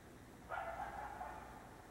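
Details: Night-time coyote howl, a single short wavering cry lasting about a second, rising abruptly then trailing off against a steady noisy background.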